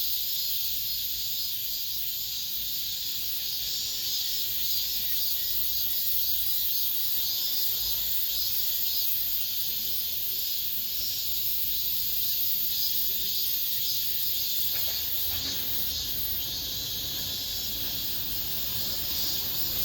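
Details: In an apartment complex as summer ends, many cicadas keep up an unbroken, sizzling high buzz, rising and falling softly throughout, with a faint low rumble beneath.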